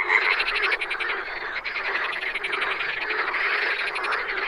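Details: Chorus of wild frogs, countless callers overlapping in fast, buzzy pulsed trills that swell and ease slightly, a brief clear whistled note at the start.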